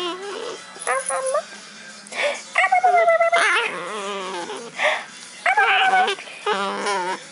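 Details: Puck, a pet dog, making his funny play noises: drawn-out yowling whines that bend up and down, broken by short bark-like bursts, with a person's voice and faint background sound between calls.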